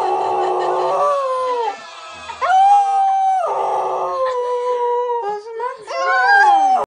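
A Cocker Spaniel howls in long, wavering, tonal notes that rise and fall.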